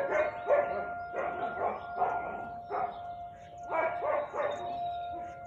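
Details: Siberian Husky recorded on 13 March 2021 at 4:17 pm, giving a fast string of about nine sharp barks in five seconds, some doubled, with a constant tonal hum behind them.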